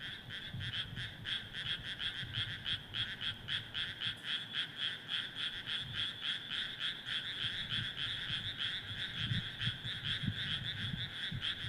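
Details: Rice paddy frog chorus: numerous frogs croaking in quick, evenly pulsed bursts, around three or four per second, steady and loud throughout, with faint low background rumble.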